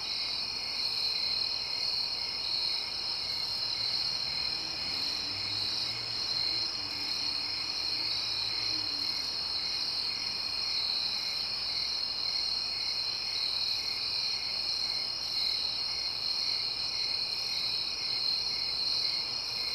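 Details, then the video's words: Crickets chirping in a suburb at night: a dense, unbroken high-pitched chorus of trilling, steady in pitch and volume throughout, with quiet distant traffic barely audible underneath. "Crickets SFX. Suburbs ambience at night."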